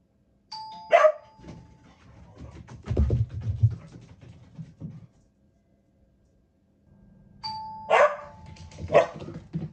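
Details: Asahi, a Border Collie with a habit of barking at the doorbell chime: a chime rings and sharp barks follow, then shuffling and thuds, and after a pause the chime sounds again, answered by more barks.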